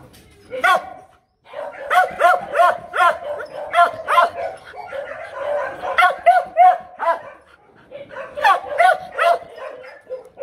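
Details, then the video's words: Female Mong Coc dog from Bac Ha, a tailless Vietnamese breed, barking to demand something rather than to threaten; rapid bursts of sharp, harmonic barks about three a second, with a short pause near the start and another before a final run. "Chó sủa gâu gâu- con mông cộc có tướng thần giữ của- mắt dữ"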